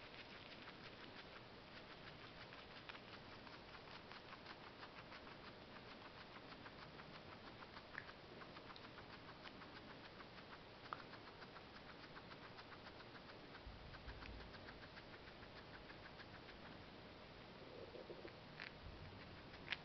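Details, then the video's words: Parsley being eaten by a female guinea pig, fast continuous crunching and tearing clicks for nearly twenty seconds, with a brief low thump near the end. "Guinea pig eating parsley"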